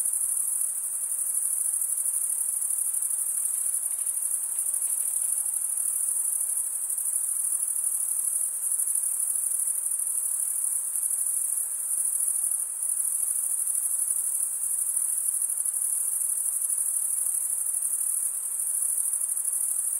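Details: Crickets producing their chirping sound by rubbing serrated wing veins together. An endless sizzling high-pitched buzz holds steady from start to finish, with tiny rapid pulsations and only slight swells in volume.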